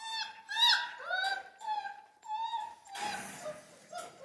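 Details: Central Asian Shepherd puppies in Michigan give several drawn-out, high whines, some bending upward. A burst of rustling, broadband noise follows near the end, with one last faint whimper.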